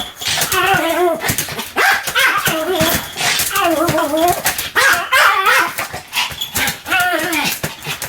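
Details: Pomeranian dog named Sam in a bout of continuous barking: high, arched yaps fired in quick clusters, roughly three a second, with brief gaps between the bursts.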